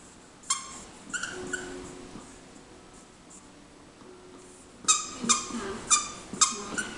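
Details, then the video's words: Akita Inu puppy named Hachi, aged three months and nineteen days, in a wild indoor play spell: high, ringing yelps and squeals in short clusters, a few near the start, then a rapid run of four sharp cries near the end. "AKITA INU Hachi et son petit quart d'heure de folie"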